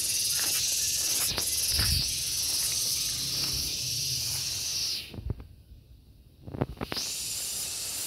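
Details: Shrill, sustained buzzing from a gareng pung cicada. It cuts off abruptly near the five-second mark, leaving near silence with a few knocks, then resumes at full strength about two seconds later.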